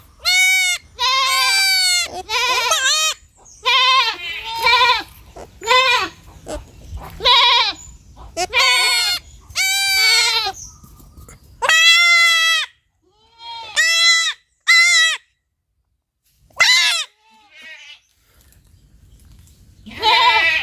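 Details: Baby goat bleating: about a dozen loud, wavering, nasal bleats in quick succession, each lasting under a second, with a few short pauses between bursts.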